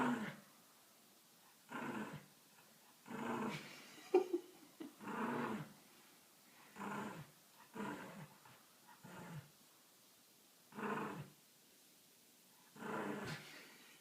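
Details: Dog indoors making a sound likened to a motorcycle: drawn-out throaty growling whines in bursts of one to two seconds, about ten in fourteen seconds, separated by pauses, with a man's voice speaking to it.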